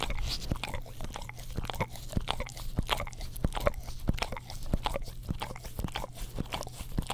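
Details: Pet English Cream Golden Retriever licking an Orapup tongue cleaner brush beside a Blue Yeti microphone; sharp wet clicks and smacks repeat about every half second over a constant low hum.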